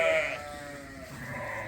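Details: A newborn lamb during lambing season on a Suffolk and Poll Dorset sheep farm lets out a bright, nasal, quavering bleat, loudest at the start, then quieter bleats and stirring from a flock unsettled all day.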